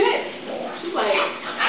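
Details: A brief playful bark and yip come from Oliver, a Boston Terrier, or Gracie, a chow-collie mix, during rough play, mixed with a woman's excited chatter.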